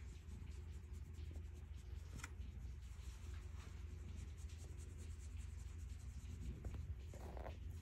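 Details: Purring of Stella, a calico cat enjoying being petted: an even, low vibrating hum that never pauses, mixed with gentle fur-rustling and a few sharper clicks near the middle and end.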